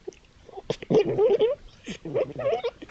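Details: Night trail-camera recording of foxes at a woodland edge among East Sussex fields, possibly playing, fighting or establishing territory; rapid bursts of wavering, whining harmonic cries, breaking off and resuming after a short pause.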